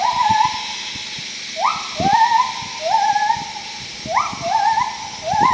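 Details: Wild gibbons calling in Khao Yai National Park, Thailand, in May 2012: loud whistled hoots that sweep sharply up and hold, repeated about every second in overlapping series, over steady forest insect hiss and scattered clicks.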